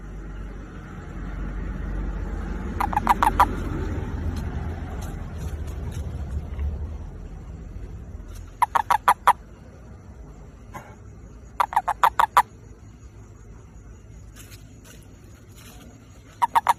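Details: Toad calling for a mate, giving short rattling bursts of rapid pulses, mid-pitched and repeated at irregular intervals, while low rumbling traffic-like noise fills the first several seconds and then fades.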